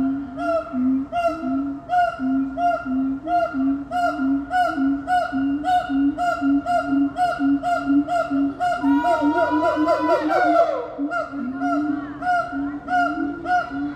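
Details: A siamang family calls together in a loud chorus of rhythmic, ringing hoots that break into rising, excited whoops; siamang calls can be heard for two miles.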